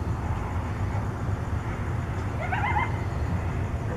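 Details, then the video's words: Coyotes calling to keep in contact during the night in Tucson: one brief wavering, slightly rising cry with layered overtones midway through, surrounded by persistent low-pitched rumble. "Coyotes contact calling"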